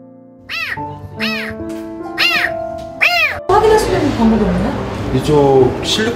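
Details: Kitten trapped inside a dark, narrow pillar in a shopping mall, crying as if begging to be rescued: four loud, arching, harmonic meows about a second apart over soft piano music, followed by people talking and rustling noise.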